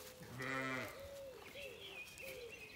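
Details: Zwartbles lamb, soon to be weaned, on a regenerative farm in County Kilkenny, Ireland: one short, quavering, tremulous bleat lasting about half a second, with other birds whistling steadily in the background before and after.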